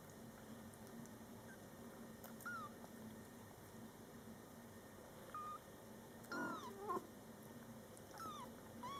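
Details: Scottish Fold kittens born July 22, 2012, with mother cat Coco and older sister Toffee indoors: several thin, high kitten mews, short rising-falling cries scattered through, with one louder low call near the middle.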